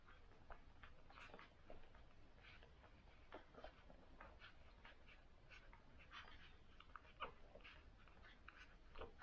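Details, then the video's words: Day-one cocker spaniel puppies from a litter of six suckle indoors; soft repeated whimpers and wet smacking clicks come every second or so against a quiet, steady low hum. "Newborn Cocker Spaniels : Day 1 (Puppy Suckling Soundtrack)"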